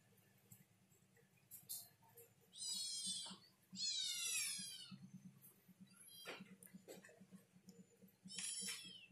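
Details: Stray cats, hungry after a mother cat gave birth, giving a few rising and falling meows with rough, wavering tones, spaced out with quieter gaps, over soft, steady rhythmic background noise.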